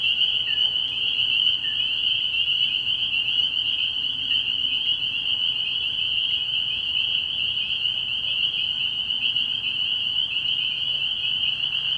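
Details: Spring peepers massed at a frog pond at night early in the year, their high whistled peeps blending into a steady, piercing chorus that barely varies over twelve seconds.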